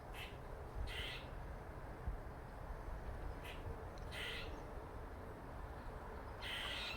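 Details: Squirrel making funny noises: a handful of short, harsh, raspy bursts spaced irregularly over several seconds, with a steady low background rumble between them.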